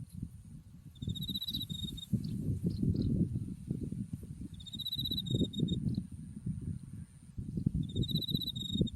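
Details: On a windy autumn day beside a field of white buckwheat flowers in Japan, with Mount Tsukuba behind, insects give three brief, high trills over a steady thin tone, half-masked by constant low wind roar.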